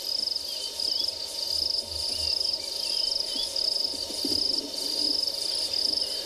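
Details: A crested grasshopper on a leaf gives a shrill, grating, cicada-like buzz, pulsing in long bursts with short breaks, during a morning safari drive at a South African game reserve on 19 March 2021.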